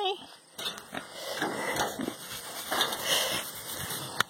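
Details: A male pet domestic pig, happy while getting pets, scratches and ear rubs, makes short, breathy grunts, snorts and snuffles of contentment in irregular bursts while a person talks nearby.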